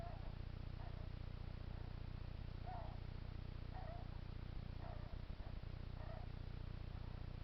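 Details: Hedgehog whose owner wonders whether it is ill, giving soft, breathy puffing noises in a steady rhythm of roughly one per second over a constant low hum.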